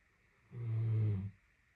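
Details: A female Great Dane napping gives a single deep, rumbling snore lasting under a second; she snored for about 30 minutes straight.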